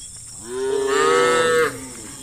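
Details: A cow in a herd roaming countryside fields in the late afternoon gives a single drawn-out moo, calling to its herd mates.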